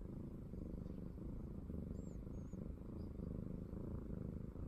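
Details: Norwegian Forest Cat being affectionate, a low buzzing purr pulsing with its breathing, while two or three faint high thin chirps sound midway.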